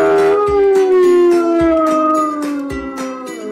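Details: A single sustained dog howl, a smooth tone gliding gradually downward for several seconds, accompanied by rhythmic plucked-string music.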